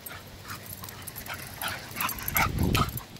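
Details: Two dogs, a bulldog and a vizsla, playing together; short whimpering yips and soft vocal bursts repeat irregularly over about three seconds, growing louder toward the end, with background hiss.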